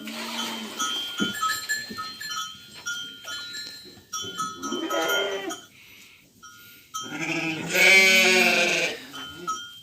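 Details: Week-old lambs playing in an evening pen around feeding time; two drawn-out, quavering bleats, the second loud and strongly harmonic, over a steady high ringing tone, knocks and rustling.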